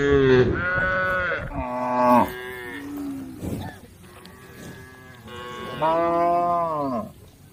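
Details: Several tame female cows calling the herd: a string of strong moos at the start, with pitch bending up and down, then a quiet stretch and one more long, steady moo toward the end.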